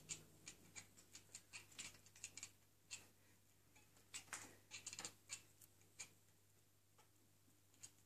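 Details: Cats reacting to light reflections make rapid, dry clicking sounds in irregular bursts, some clicks bunched close together and others spaced up to a second apart, over a faint steady low hum.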